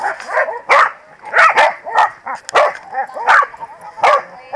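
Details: At the 2017 PWCCGS NJ Corgi Funday Sunday, corgis give loud, rough barks in bursts of two or three, with short yips between them.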